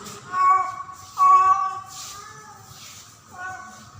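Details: Female domestic cat named Pretty, in heat during mating season, calling for a male: two drawn-out tonal meows with strong harmonics, the second louder and longer, then a softer third call after a quiet gap.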